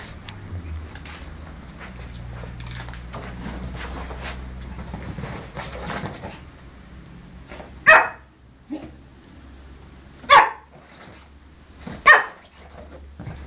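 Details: Yorkshire Terrier puppy in Samsun, Turkey, indoors, giving three short sharp barks about two seconds apart after a quieter stretch of rustling; a man repeats a Turkish command between barks.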